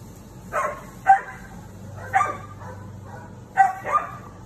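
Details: Female Siberian Husky standing up to a neighbour's cat, letting out five quick yappy barks in uneven pairs and singles spread over four seconds, against a low steady hum.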